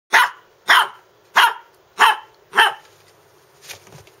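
A Lhasa Apso gives five sharp, high barks in quick succession, about every half second.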